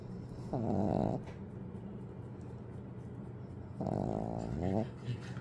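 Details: Snoring Pekingese, the top snorer of the household, said to beat even dad: two long, buzzy, vibrating snores about three seconds apart, each close to a second long, over a quiet indoor hum.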